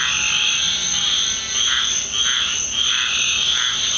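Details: Nightly frog chorus in a backyard of the Deep South following a rainstorm, a steady shrill drone layered with rhythmic pulsed calls about every half second, many frogs calling at once.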